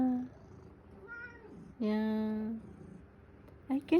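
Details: Male cat meowing excessively for morning attention indoors while its owner is on the phone; a brief thin meow followed by a longer, steady, low voiced sound, with a woman speaking around it.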